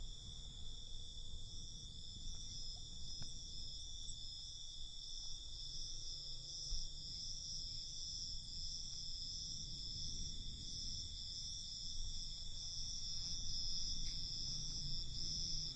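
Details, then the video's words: Night chorus of crickets: continuous, bright, high trilling that pulses faintly but never stops, layered over a low murmur of distant background noise. "Night Cricket Sound"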